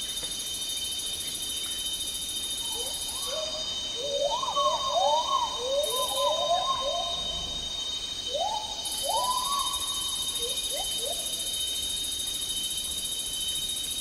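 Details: Agile gibbon song in Malaysia's tropical rainforest, an endangered ape: clusters of upward-sweeping whoops building into rapid rising notes, then a pause and a few sharper climbing calls, with loud buzzing cicadas cutting in and out.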